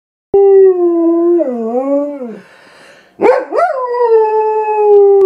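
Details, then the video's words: Silva, a pet German Shepherd, howls in reaction to an animal on the TV screen: a sustained, harmonic-rich tone that sags and wavers downward, breaks off in a brief pause, then resumes with a sharp rising yelp settling into a long steady note. "our nutty German Shepherd sings an Operatic aria !"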